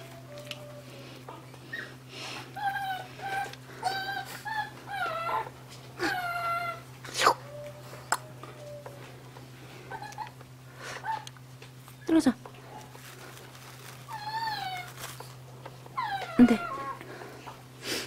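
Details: Indoor pet Maltese together with a Yorkshire terrier: thin, wavering whimpers and whines in short clustered bursts, some sliding up and down, mixed with a woman's Korean scolding, clicks and a steady low hum.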